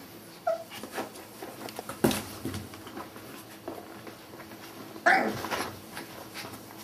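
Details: Border Collie puppies, one of a litter of five born at Sakura Garden dog run in Okayama City, Japan, giving two brief high whines several seconds apart between sharp knocks and bumps indoors.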